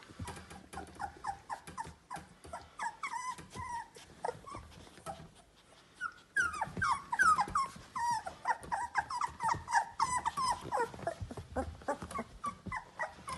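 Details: Litter of 17-day-old Labrador Retriever puppies from Finchen at the Kloster Marienthal kennel. They give dense, overlapping high squeaks and whimpers, many short rising-falling yelps tumbling over each other, with a brief quieter gap midway before the chorus swells louder again.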